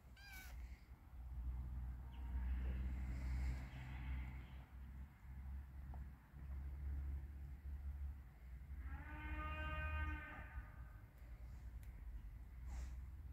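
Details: Kitten walking in a yard in rainy weather gives one long, clear, drawn-out meow near the end, after a fainter call earlier on, over a constant low rumble.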